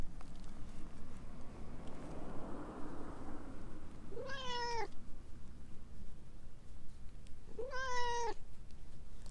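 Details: Orange tabby stray, talkative and clinging to someone's legs, meows twice about three and a half seconds apart, each call short and slightly rising, over a soft rustle.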